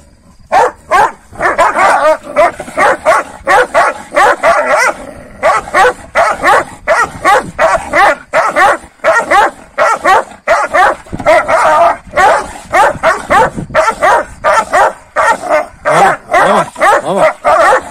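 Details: Several Kangal dogs, given a rabbit the night before, quarrel with one another in the morning: a dense, continuous stream of harsh overlapping barks, snarls and growls, bursting roughly every second with hardly any pause.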